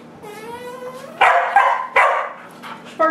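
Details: Pet dogs, including a Doberman named Harley, indoors; a long rising nasal whine gives way to three loud, rough barks about every second, with voices in the background.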